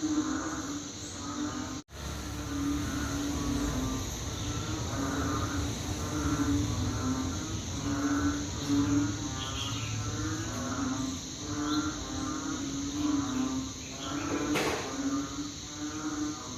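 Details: Loud chorus of banded bullfrogs, evoking rice fields at night, with deep, repeated droning calls pulsing and overlapping throughout, a steady high hiss behind, and a sharp click near the start.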